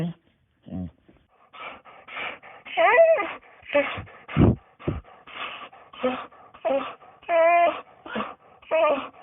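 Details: Dog whining indoors: a run of short nasal whimpers, some rising and falling in pitch with wavering tones, several lower grunting bursts, repeated roughly every half second to second.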